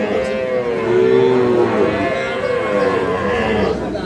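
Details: Sahiwal calf at the Monday cattle market in Ambari, Parbatipur, Dinajpur, Bangladesh; a drawn-out, slightly wavering moo swells for about two seconds amid background voices and market bustle.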